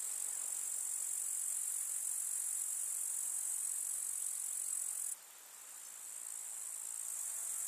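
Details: Continuous shrill insect stridulation of grasshoppers in a summer village meadow, a high buzzing band that holds steady, then dips suddenly in volume midway before slowly swelling back.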